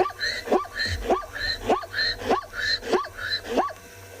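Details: At sunrise on 5 October in the Tswalu Kalahari Reserve, South Africa, a plains zebra, possibly an unhealthy-looking stallion, gives a quick series of doglike barks, each a rising yelp repeated a little faster than once a second.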